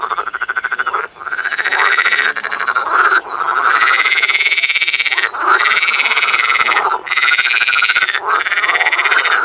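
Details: Frogs calling in spring in the Cologne botanical garden, Germany: bursts of loud, harsh croaking chorus lasting one to two seconds, separated by short gaps, repeated through the recording.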